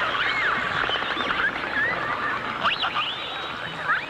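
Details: Dolphin song from a 1989 stereo recording of dolphins and orcas: rapid, overlapping chirpy whistles, short upward and downward slides tumbling over one another, with pattering clicks and constant underwater hiss.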